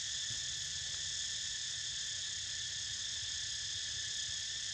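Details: Cicadas calling while a pet naps nearby: a steady, unbroken high buzzing drone in layered bands, with no pauses across the whole stretch, over faint low rumble.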